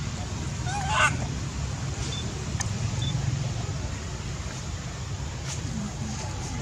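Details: Baby monkey Sweet pea crying loudly, angry at his mother: one brief, rising, harmonic scream near the start, then only a steady low rumble like traffic, with faint voices in the background.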